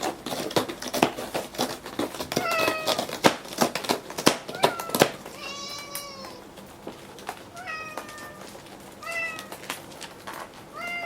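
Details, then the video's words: Morning at home: Gon, an old rescued house cat given four months to live, claws a scratching board in quick rasping bursts for about five seconds, then gives several drawn-out rising and falling meows. "爪とぎする音がめっちゃ元気 Cat Gon scratches making a good sound"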